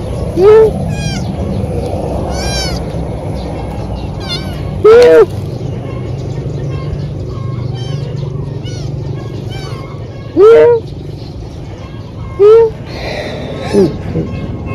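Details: Thin kitten found crying and in need of help: loud, arching meows rising then falling, about five spaced several seconds apart, between quieter mews, with human voices and steady background hum.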